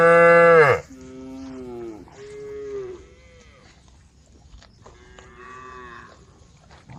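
Cows call to the herd with deep, drawn-out moos, the first loud and sliding downward, the rest quieter and more level. Several animals seem to answer one another in turn.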